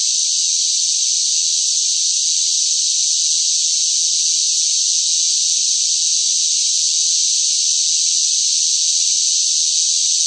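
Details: Cicadas fill the air with a loud, unbroken, high-pitched buzzing drone that never pauses, in hot summer heat.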